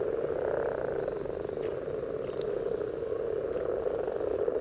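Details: Brief stretch of common frogs calling in a spawning gathering at Sunnersta, Uppsala, captured just above the water surface. A thick, unbroken low purring chorus fills the whole stretch, with no other clear sounds.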